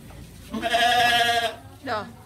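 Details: Goat described as unusual, at Jajag, giving a loud, wavering bleat of about one second, rich in harmonics, then a shorter second bleat; faint voices in the background.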